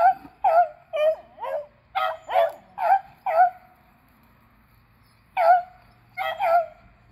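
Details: Three beagles, Athena and Zeus at eleven years and River at three, chasing squirrels on April 21, 2020, give a rapid run of seven ringing, slightly bent barks about twice a second, then silence before two more.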